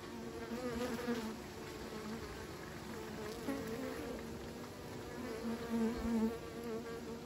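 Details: Bees kept by beekeepers, a dense steady buzzing hum with overlapping wavering tones, brief louder swells as individual bees pass close.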